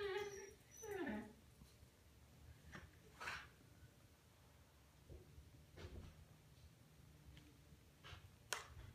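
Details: Seven-month-old Xoloitzcuintli (Mexican Hairless) puppy indoors, upset at its reflection in a mirror: two short, high, wavering whines in the first second and a half, then scattered knocks and rustling.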